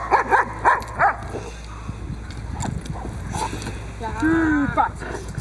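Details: Protection training of the Boxer Diesel v. Ons Hullekke, third session on the table with bite work: five quick barks open the moment, followed by quieter rustling and a drawn-out, wavering voice near the end.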